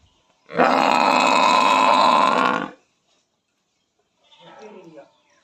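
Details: Buffalo calling: a single nasal, sustained bellow of about two seconds, followed after a pause by a faint, rougher sound near the end.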